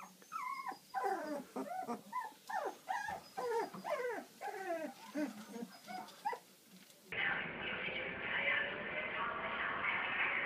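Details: Labrador Retriever puppy whining in a string of high, wavering yelps and whimpers for about seven seconds, each note sliding up then down; music then abruptly takes over and fills the rest.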